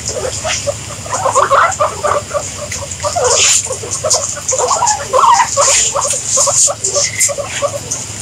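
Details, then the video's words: Rapid bursts of short guinea pig squeaks, clustered and uneven in spacing, rising and falling in loudness, against a steady high-pitched hiss and occasional clicks. "Guinea Pigs Sound"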